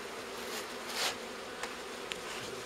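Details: Honey bees from a wild forest nest near Kiev, Ukraine, being transferred into a hive and apiary; a continuous low hum with scattered sharp clicks and knocks.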